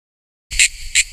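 A cicada gives a high, hissing buzz that swells into two louder pulses about half a second apart after a brief silence.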